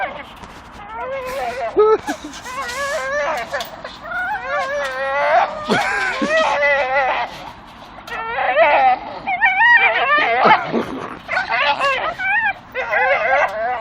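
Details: Strained, warbling squeals and whimpers pour from two Staffordshire Bull Terriers chewing a swinging dustbin lid on a tree, in bursts every few seconds, mixed with clattering knocks and a man swearing.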